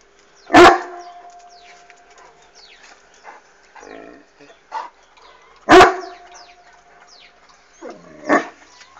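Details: Irish Wolfhound named Bastian barking at a flying hot air balloon: two loud, deep single barks about five seconds apart, with softer huffs and small noises between, birds twittering faintly behind.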